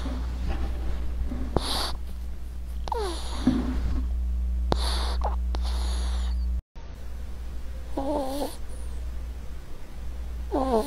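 A ferret gives short wavering squeaks among soft clicks and rustling over a steady low hum.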